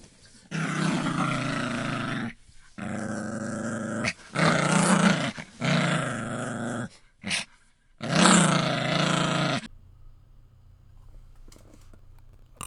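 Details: Repeated growling from a puppy: five rough, rumbling bursts of one to two seconds each, broken by short silences, followed by near silence with faint clicks and rustles.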